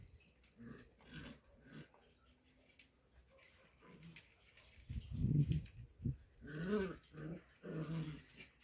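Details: Show Cocker Spaniel puppies at play: low, rough growls and grunts, quiet at first, then louder bursts from about five seconds on, with a faint whimper.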